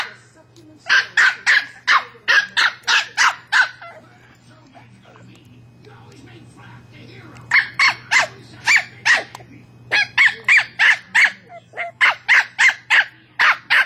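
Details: Westie named Bailey barks at his toy ball in fast runs of sharp, high yaps, about three a second, broken by a quiet gap of several seconds before the barking resumes; faint low hum in the background.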